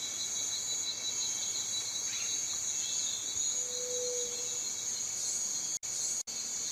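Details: Cicada call: a steady, continuous high buzzing drone with bright bands held throughout, broken by two brief dropouts near the end; a short faint tone sits lower down.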